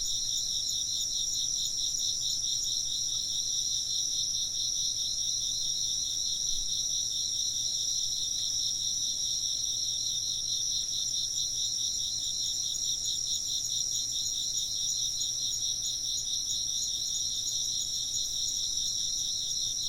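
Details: Chirping insects fill the night air with a dense, steady chorus: several shrill, high tones held continuously, one layer pulsing in a fast trill, with no other sounds breaking through.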